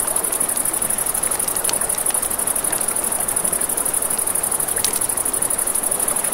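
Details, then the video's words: A riverside night scene with crickets: a constant thin, high trill beats in quick regular pulses, while a campfire crackles and pops irregularly and river water hisses softly beneath. "Campfire by the River at Night Ambience | 1 Hour of Crackling Fire, Crickets, Ambient Nature Sounds"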